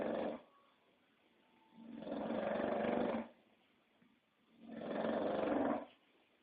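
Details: English Bulldog snoring indoors: long, broad rasping breaths about a second each, two big snores with a fainter one at the start, quiet pauses between.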